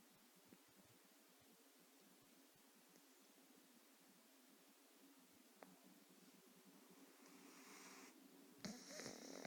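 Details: Beowulf the cat snoring while asleep, less intensely than usual: a soft, low, steady rasp that repeats quickly and evenly in a quiet room, with a brief rustle near the end.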